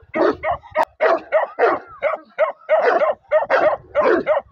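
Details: Bakarwal dog pup, also called Bakharwal or Gaddi dog, giving rapid, high-pitched yappy barks in quick bursts, about a dozen short sharp yaps packed into a few seconds with brief gaps.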